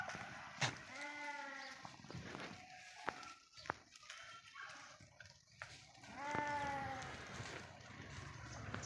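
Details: Grazing sheep in a forest pasture let out two quavering harmonic bleats, one near the start and another later. Quieter stretches in between carry sharp clicks, taps and low background rustle.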